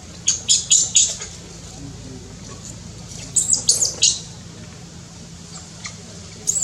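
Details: Shrill, thin squeals from a newborn monkey baby in Cambodia, born in tall trees: a quick run of four piercing notes, a pause, then another brief cluster and a lone late squeak.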